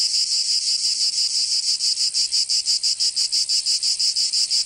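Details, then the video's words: Southern French cicadas in Provence during summer give a piercing, crackling buzz that swells and dips in rapid even pulses, about three per second, filling the recording alone. "Canto Cigarra 🦗 [ Escuchar les cigarras en verano 10 H]"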